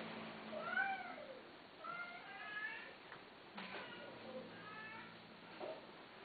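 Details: Domestic cats indoors: soft, thin meows that slide downward, several in quick succession, some faint and layered, over a low background hiss.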